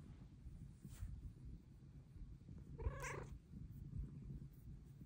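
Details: Soft, quieter purring from pet cat Luna asking for pets, broken by a single brief meow midway through.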